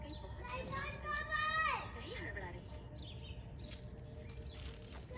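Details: White Persian kittens give high, thin meows that rise then slide down in pitch, over steady background noise.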